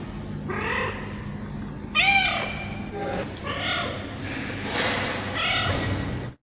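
A tabby cat gives a series of clear, arched meows, each rising then falling in pitch.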